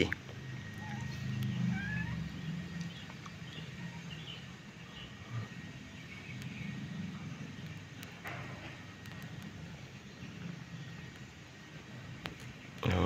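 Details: Nursing kitten giving a few faint, high mews that rise and fall, spread over the first seconds, above a steady low rumble of background noise with scattered clicks.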